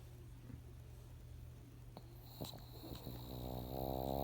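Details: Monaka, a female pug adopted three months earlier, asleep indoors with a twitching face as if dreaming; faint snuffles give way to a swelling, buzzy, rasping snore near the end, against a constant low hum.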